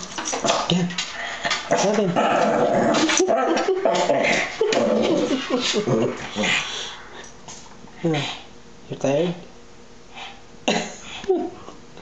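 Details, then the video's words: Dusty the Shih Tzu facing off with a pet red devil fish, rapid yapping barks and growly whimpers in clustered bursts, then sparser yips, with a person's encouraging voice mixed in. "our red devil fish vs. dustii (the shih tzu)"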